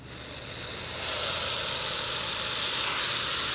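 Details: Hognose snake, young and captive, giving a continuous defensive hiss that builds in loudness over about three seconds, a breathy rushing sound with no pauses.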